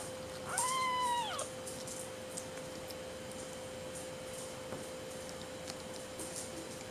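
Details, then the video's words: Hungry 5-week-old Seal Point Himalayan kitten named Madeline Rose, a spoiled only kitten in weaning, lets out a single clear arched meow of under a second, followed by quiet room noise with a steady hum. "The Screaming and Very Spoiled Kitten Named Madeline Rose"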